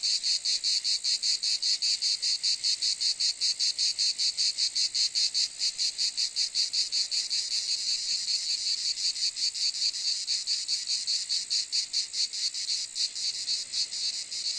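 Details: Shrill, sizzling cicada drone with fast, rhythmic throbbing pulses, steady and loud from start to finish, fading slightly toward the end.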